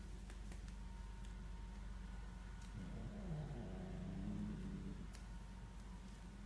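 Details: A female Korat cat growls low and throaty in a wavering threat at a stray cat creeping into the garden, over a steady low rumble likened to a motorcycle.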